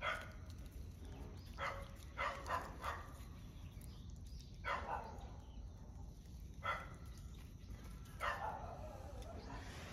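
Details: One-month-old puppy on its first outing outdoors, giving short high yapping barks in five separated bursts, some doubled or tripled, over a steady outdoor hiss.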